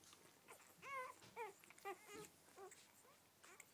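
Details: Rhodesian Ridgeback puppies, part of a mother's first litter of twelve, giving a few short, wavering whimpers and squeaks spaced about half a second apart in a quiet room.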